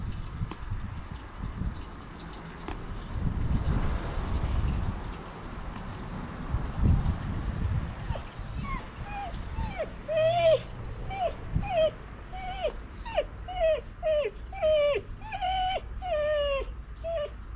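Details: Siberian Husky named Hacchan whining sadly and continuously in a garden while sniffing at a smell; from about eight seconds a series of short, high, downward-slurred whimpers repeats roughly every half second over low background rumble.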